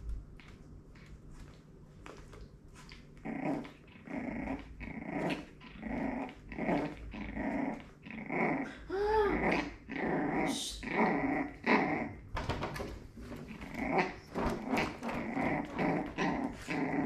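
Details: Four-week-old Jack Russell terrier puppy being corrected by her mother, indoors: repeated rough growling bursts from about three seconds on, roughly one per second, with a brief high whimper near nine seconds and scuffling between.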